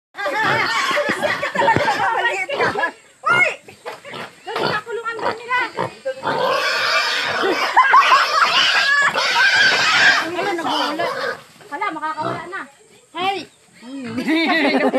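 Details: Wild boar grunting and squealing in rapid, uneven bursts, with human voices mixed in.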